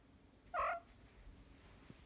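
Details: Male short-legged Munchkin cat, one year old, indoors, giving one of its occasional strange grunting sounds: a single brief nasal burst in a quiet room.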